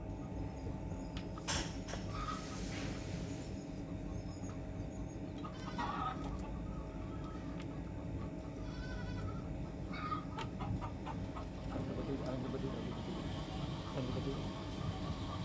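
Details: Kodi goats kept at a farm in Karisalkulam near Kovilpatti, Thoothukudi district, pregnant does held for sale; several short wavering bleats spaced a few seconds apart, rising above a constant low-pitched hum and scattered farmyard clatter.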